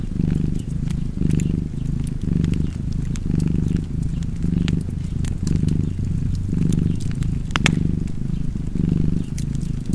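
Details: Contented cat purring continuously, a low vibrating rumble rising and falling about once a second, mixed with the light snapping and crackling of a fire.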